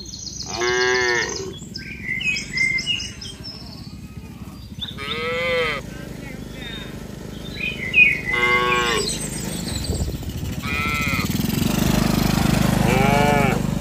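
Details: Cattle in a tame herd, moved from an open green field to their pen, call repeatedly. Several separate moos of varying loudness are spaced a few seconds apart, with faint bird chirps and rising low-frequency rumble toward the end.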